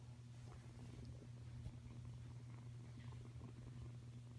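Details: Five-week-old F1 hybrid Savannah kitten named Kuda purring: a soft, steady low rumble with a fine pulsing texture that continues throughout, quiet and close, with faint background hiss.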